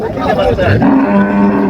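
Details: Dairy cow of an improved milk breed at Raniganj cattle market, Dinajpur, on 26/6/25. Men talk briefly, then a steady, low, droning moo holds through the second half of the clip.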